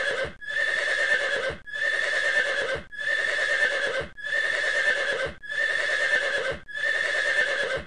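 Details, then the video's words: Horse calling in a series of identical, steady, harmonic blasts of about one second each, repeated roughly every 1.25 seconds with short silent breaks between them; no other sounds. "Tiếng kêu con ngựa"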